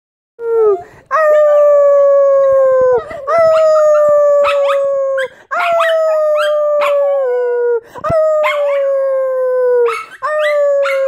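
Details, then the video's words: Jackawawa dog howling: long, steady drawn-out tones slightly falling in pitch, repeated in drawn notes of about two seconds each, broken by short yips and squeaky breaks between howls. "Jackawawa howling"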